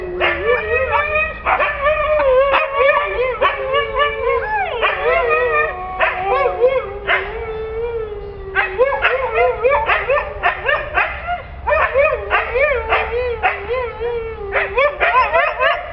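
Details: Pet Siberian Husky in a long bout of vocalising: quick choppy yips and bent whining notes, interrupted by brief drawn howls, with speech also present.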